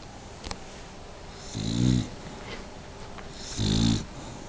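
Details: Pet dog Bently asleep and snoring, two deep, buzzy rattling snores about two seconds apart, with a faint click near the start.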